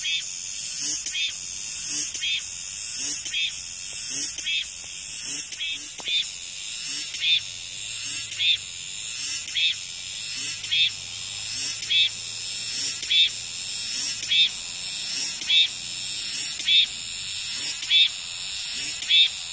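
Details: Cicadas calling hard after the rain stops: loud, even buzzy pulses repeat almost exactly once per second over a constant high hiss, with a faint low hum in the background.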